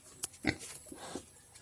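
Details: Captured wild pig, kept tied and described as gentle, giving a few short, harsh grunting snorts in quick succession, with faint background hiss and brief noises from people nearby.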